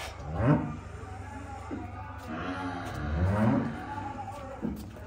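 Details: Young calves at play, with two moaning, harmonic moos about three seconds apart that swell and fade, over a low constant hum.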